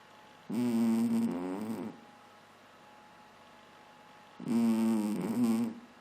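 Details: Sleeping pet cat snoring indoors: two long rasping breaths about four seconds apart, each roughly a second and a half, buzzy and layered with a low throaty rattle, quiet hiss between them.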